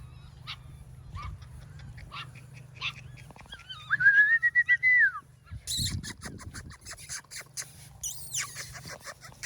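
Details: AKC registered Golden Retriever puppies from a litter in Ohio: scattered short yips, then one drawn-out whine that rises and holds steady for about a second before dropping off, followed by rustling and handling noise.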